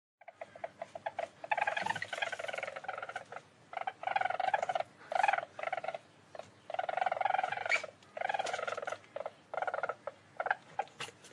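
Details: Least weasel call, offered as a sound for scaring away moles: rapid, harsh chattering bursts with a strong mid-pitched tone, running in clusters separated by short pauses over about eleven seconds.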